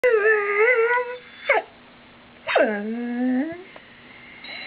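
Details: Female pet dog whining at her people because she wants to go outside and is not let out immediately: a long, wavering, high whine, then a short sliding yelp and a drawn-out whine that dips and rises again, with a faint whine at the end.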